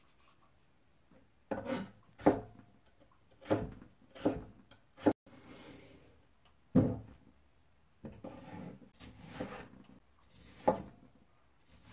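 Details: Indoor rubbing and scraping on wood in irregular bursts, separated by quiet pauses.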